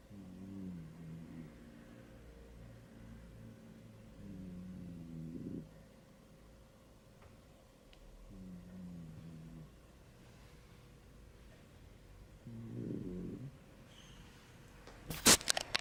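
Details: Shetland sheepdog asleep indoors, snoring contentedly before noticing and waking: low rhythmic nasal snores come in bursts of rapid pulses at the start, around four seconds, near nine seconds and again at thirteen seconds, ending with a sharp clatter.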